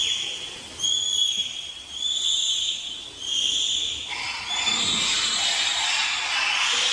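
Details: Bonobo giving shrill, whistle-like calls, each held about a second and repeated in quick succession.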